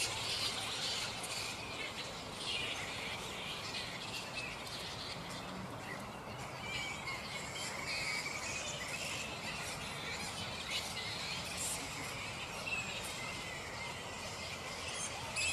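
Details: Unsettled black flying foxes (Pteropus alecto) calling at their roost in mid-morning: a steady wash of shrill, scratchy squeaks and quarrelsome chattering from the colony, with loud bursts at the start and near the end.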